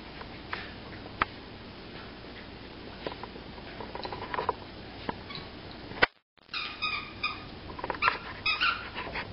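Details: Corgi. A corgi lets out quick, uneven barks and rougher yaps, coming in short bursts with pauses between. A person's voice and some indoor handling noise can be heard alongside.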